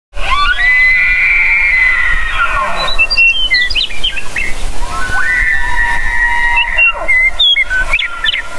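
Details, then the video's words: Elk bugling: a tone sweeps up into a high, sustained whistle lasting about two seconds, then slides down. A second rising whistle follows near the five-second mark, with short chirping notes between, over a low rumble. "Elk Bugling"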